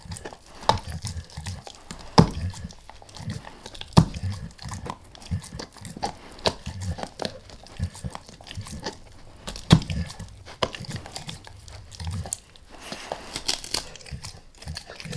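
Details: A dog named Max working on a beef rib indoors, starting lightly and then going all in: bursts of crunching and biting, loud cracks at intervals of a few seconds, and steady wet gnawing between them.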